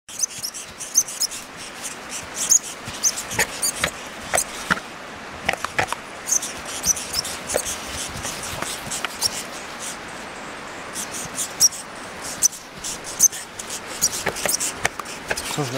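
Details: Wild lemming in Finnmark, Norway, during the 2011 lemming year, fighting back against a rottweiler and a mixed Airedale terrier and American bulldog: sharp, high, brief squeaks and clicks in irregular bursts over rustling, with faint faraway speech.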